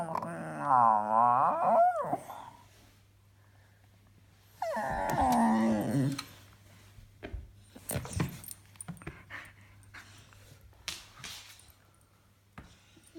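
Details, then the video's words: Funny noises from a pet dog: a wobbling, yodel-like moan lasting two seconds, a pause, then a second gravelly moan, followed by scattered clicks and small knocks in a quiet room. "Dog making funny noises!"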